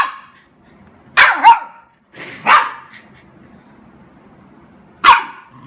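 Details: Golden Retriever puppy excited while playing with a water spray: a quick double bark, a single bark a second later, then one more sharp bark after a pause of nearly three seconds.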